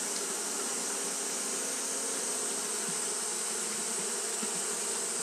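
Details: Japanese honey bees fanning steadily on a hot day: a dense, unbroken droning hum with low, even tones beneath a bright, hissy upper layer, no pauses across the stretch.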